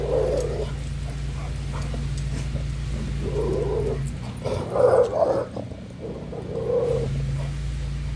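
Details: Dog in a short play session whining repeatedly. Brief mid-pitched whimpers come every second or two, with a louder, rougher burst near the middle, all over a steady low droning hum.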